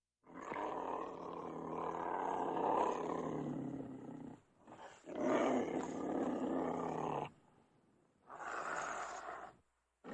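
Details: Cougar snarling and roaring: two long harsh, raspy growls of about four and two seconds with a short gap between, then a third shorter snarl after a pause, all dense and rough in the low-to-middle range.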